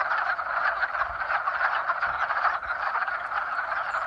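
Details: Mating calls of frogs in spring, a thick chorus of rapid overlapping croaks pulsing continuously, with soft low knocks in the background.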